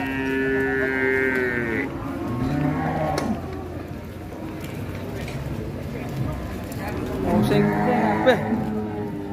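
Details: Sacrificial cow rampaging as it is unloaded from a truck at Siyono Harjo market gives long, drawn-out harmonic moos at the start and again near the end, over shouting voices and crowd chatter.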